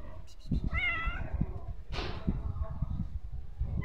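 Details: Stray street cat meowing: one clear rising-falling harmonic meow near the start, then a sharp hissy burst, over steady low rumbling street noise.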